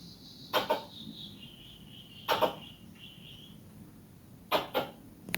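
A squirrel gives sharp, harsh chirps in quick pairs, repeated about every two seconds.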